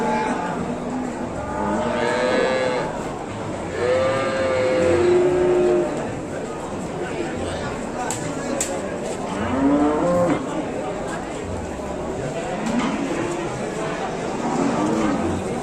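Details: Young cattle calf giving long, wavering moos with strong harmonics, spaced several seconds apart, while other calves answer and people talk quietly in the background.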